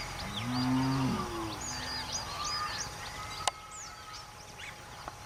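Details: Grazing cattle on their way to a mountain forest: one clear, low, level moo lasting about a second opens the recording, followed by quieter lowing amid busy high-pitched birdsong and a sharp click.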